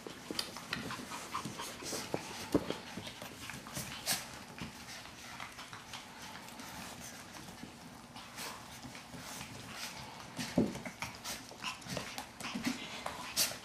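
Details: Shih Tzu puppies at play, giving quick, breathy panting over a steady stream of scuffles, taps and clicking claws, with a few sharper knocks near the middle.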